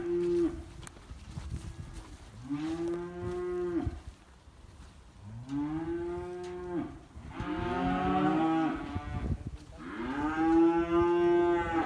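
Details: Registered Holstein bulls of American lineage, offered for sale in the municipality of Libres, Puebla, Mexico; several deep, drawn-out moos roughly every two to three seconds, some overlapping, each about a second long with rich harmonics, over faint barn noise.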